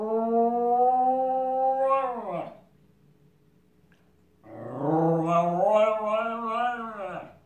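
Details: Miniature Schnauzer Shotsy, a male dog copying passing sirens, gives a sustained howl that slides downward at the end, then after two seconds of quiet a second wavering howl with quick pitch undulations, like a siren's warble.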